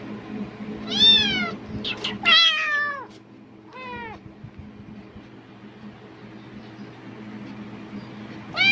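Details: Cat responding eagerly to plastic bag rustling as if food were near: a burst of three or four downward-sliding meows in the first four seconds, then a quiet stretch before another meow begins at the end.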